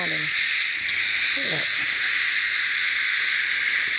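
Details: Steady, piercing insect whirring from cicadas continues without pause, with only a couple of brief voice fragments in the first two seconds.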